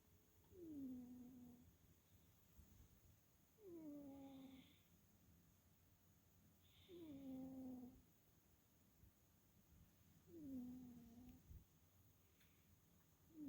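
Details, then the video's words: Chloe the cat snoring while asleep indoors, recorded October 22, 2022: four whistling, downward-sliding nasal snores, each under a second, roughly every three seconds, some with a soft breathy hiss between them, in a quiet room. "Chloe snores"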